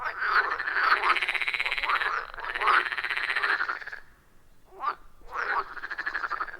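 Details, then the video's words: Wild frogs at a forest pond, captured with an iPhone 14 Pro and Shure MV88+ microphone, giving loud rhythmic rattling croaks in long bursts of one to two seconds, separated by a brief near-silent gap before the chorus resumes. "30 Minutes of Frog Sounds at a Forest Pond"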